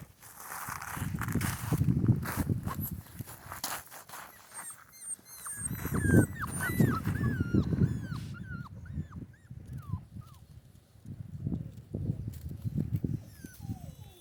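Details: Central Asian Shepherd Dog puppies, Mansur and Merbet, crying outdoors in cold, windy weather: thin, high whimpers, some rising and some falling, cluster in a run of short cries midway, over steady low wind rumble and handling noise.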